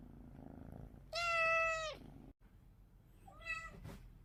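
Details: A single strong, steady meow lasting under a second from a cat, followed by a quieter, shorter second meow against low background rumble.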